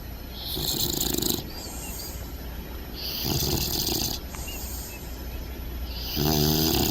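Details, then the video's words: Upside-down, comfy bulldog puppy named Bentley snoring and snorting while asleep; long rasping snores follow one another every one to two seconds, the last with a snorty, rattling edge, low hum behind. "Bentley the Bulldog Puppy Snoring!"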